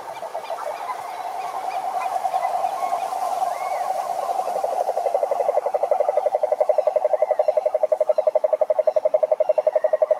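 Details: Toad croaking in a fast, steady pulsed trill, mid-pitched and growing louder and more evenly spaced toward the end, with faint higher calls behind it.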